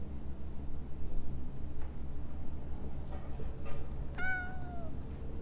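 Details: A stray cat hidden in shrubbery calls out with a single clear harmonic meow that slides gently downward, preceded by a few faint softer sounds, over a steady low rumble of background noise.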